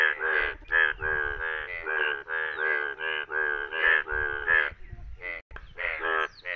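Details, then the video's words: In Indian rain, yellow bullfrogs croak in rapid nasal bursts that run together, then thin out into scattered calls with brief pauses near the end. "Most Beautifull Bullfroag Yellow Frog Sound!Amezing Frog Scremming In India !India Yellow Frog Sound"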